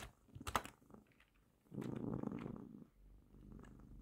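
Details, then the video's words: Female house cat resting on a working person's lap, giving a short burst of low, grainy purring lasting about a second, preceded by a single sharp click and followed by quiet room sound. "Cat purring on my lap while I work"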